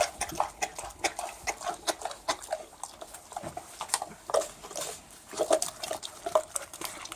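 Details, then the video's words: Feeding pig heard close up, busy chomping and slurping with dense bursts of crisp clicks and moist smacking, coming in quick uneven groups. "Pig Eating Sound Effect"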